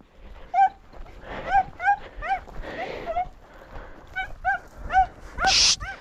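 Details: Podenco hunting dogs of the Perjuicillos pack during hunting runs, giving a series of sharp, high, ringing yelps, roughly a dozen over six seconds, often two or three in quick succession, with a brief noisy burst near the end.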